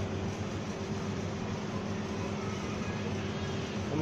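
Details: Continuous engine or air-conditioning drone with steady low tones, no animal voice audible.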